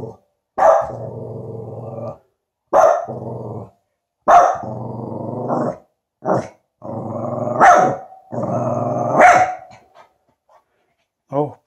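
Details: Tibetan Spaniel Finlay, wary of a new balloon present, barks repeatedly: sharp onsets each trailing into a sustained growly tail, roughly every one and a half to two seconds, with a few shorter yaps between.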